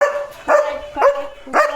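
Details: German Shepherd named Leo barking at another dog he spotted outside; three short loud barks roughly half a second apart, each with a steady tone under it, over a quiet background.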